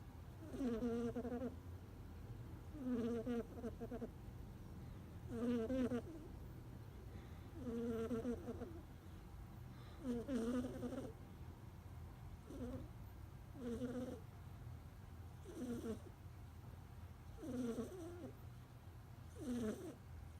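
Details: Sleeping kitten snoring: raspy, buzzy breaths with a throaty hum, about every two seconds, nine or ten in a row and steady in loudness, over a low constant background hum.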